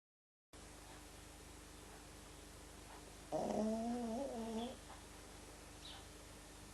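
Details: Frank, a pet pug, asleep: one snorting breath about one and a half seconds long with a wavering, nasal, tonal quality, set in a quiet room hum.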